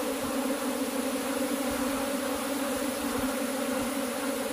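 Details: Steady swarm drone from cultivated honey bees, an even layered hum with no pauses, occasional light low taps beneath it.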